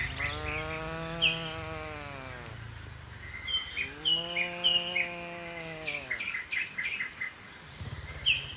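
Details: Two long, fairly soft moos about four seconds apart, each a smooth, slightly arched tone, from a herd of dozens of tame cattle jumping down a mountain slope; many sharp bird chirps and tweets scattered throughout.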